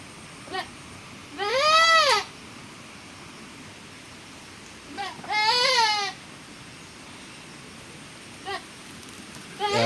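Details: Goat bleating after giving birth during the rainy season: two strong, arched, quavering bleats about four seconds apart, framed by brief faint squeaky calls at the edges.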